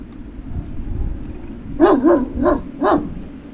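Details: Four quick yapping barks from a Great Dane puppy at Puppy Hill, recorded 03-06-2019, following a low rumbling background noise at the start.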